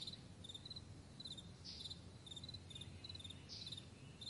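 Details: High ticking chirps from crickets in a morning meadow, clustered in small pulsed groups, with two brighter, broader chirps standing out against a steady low background rumble.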